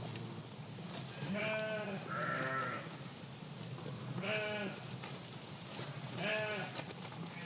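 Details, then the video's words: Several wavering bleats from sheep eating grass in a meadow, four short calls spread across a few seconds over a constant hissing outdoor background. "The relaxing sound of sheep bleating and eating grass in the meadow"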